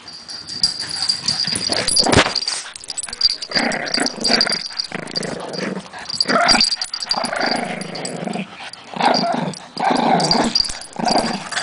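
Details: Puppies playing tug of war indoors, giving bursts of low rough growling and yips between pauses, with a steady high whine in the background.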